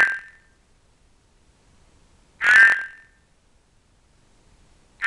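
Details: Cranwell's horned frog group including an albino wanting to mate by amplexus, kept with Ceratophrys aurita; two drawn-out harsh croaks roughly two and a half seconds apart in near silence.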